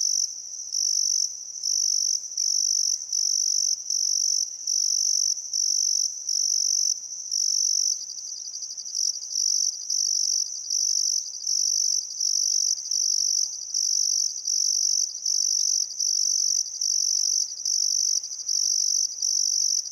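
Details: Summer-evening crickets along the Barcoo River, Welford National Park, Outback Queensland, on a still afternoon at sunset: a high, intense ringing trill pulsing in regular short bursts with brief silences, and almost nothing else audible.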